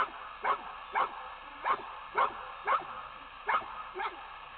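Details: Torque, a retriever in gun dog training on a technical pond at Coyote Creek Retrievers, gives clipped, yipping barks about twice a second in a steady run over low background noise.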